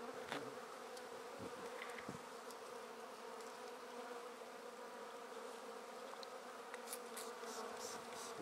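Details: An unbroken, even hum rises from a swarm of honey bees as it is taken off a tree into a swarm basket. A few light taps and rustles sound near the start and end.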